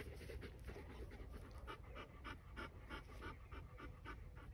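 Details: Justin, a Bernese Mountain Dog at the Bär Vom Matterhorn kennel, pants steadily, with about three even breathy puffs each second over a low hum.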